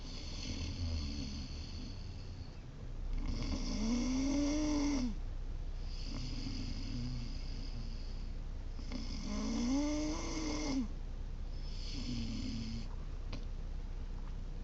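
A Great Dane puppy snores in slow cycles, each breath a rough, rising rattle with a nasal whine.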